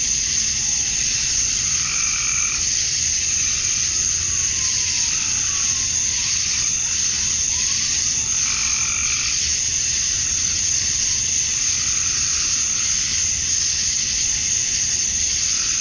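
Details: At summer dusk in Georgia, USA, male cicadas chirp to attract females: a constant high buzzing wall of sound, with repeated lower pulsed bursts and a few faint descending whistled sweeps in the middle.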